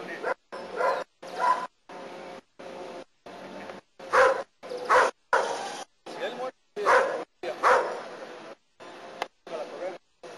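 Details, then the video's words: German Shepherd Nero in protection work in Costa Rica gives intermittent sharp, rough barks, several loud ones spaced a second or two apart, mixed with a person talking throughout. "Protection work with my German Shepherd Nero"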